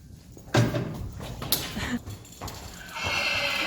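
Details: Friesian mare Saly, wearing blinkers and being harnessed to a cart after six months away from driving, gives a loud harsh burst of low harmonic neighing lasting about a second and a half, followed by rustling harness sounds and a steady background hum.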